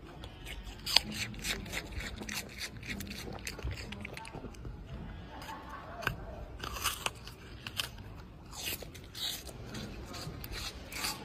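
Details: Apple being eaten by a red panda, with rapid, irregular crunching clicks and bites throughout and faint voices in the background.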